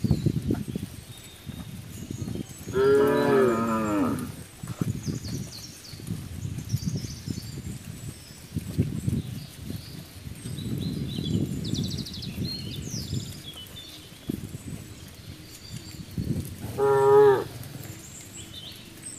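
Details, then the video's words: Cattle gathered on a road give two moos, one near the start and a shorter one near the end, with steady low rumbling and scattered background noise filling the gap between them. "Cowbell - Cow sound"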